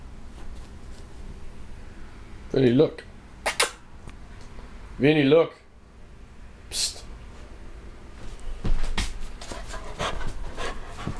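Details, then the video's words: Vinnie, a Doberman-Labrador mix dog living near a fire department, howls in reaction to a fire truck: two short, wavering, tonal howls near two and five seconds, with clicks, thumps and indoor room noise between them. "Dober-mutt howling at firetruck"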